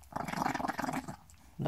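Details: Little Chihuahua growling while snapping and breathing, a rapid pulsing rattle lasting about a second, then quiet before a louder onset at the end.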